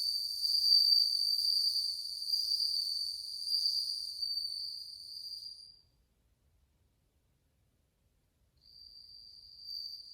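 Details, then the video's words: Bell crickets in a large group, August 2020, giving a high, clear tinkling trill that rings for about six seconds, stops into silence, then resumes more softly near the end. "鈴虫の鳴き声 スズムシ音色"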